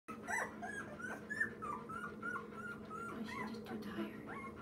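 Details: Two-week-old rescued Labrador mix puppy, one of a litter of nine with its mother, giving thin, high squeaky whimpers in short rising and falling bursts, repeated almost continuously, over a steady low indoor hum.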